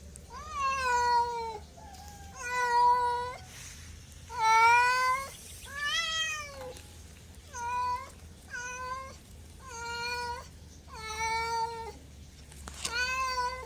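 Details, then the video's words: Domestic cat meowing repeatedly, about eight harmonic-rich meows, each roughly a second long, some rising then falling, others level, with short pauses between, over a faint low hum. "MEOWING MEOWING - CAT CUTES - CAT FUNNY - SOUND CAT - MEOW CAT 01"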